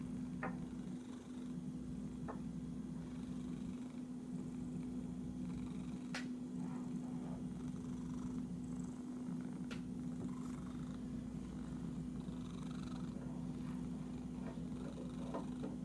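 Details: An itchy domestic cat purring in a continuous low, rumbling drone throughout, broken by a few sharp clicks and soft taps close to the recorder.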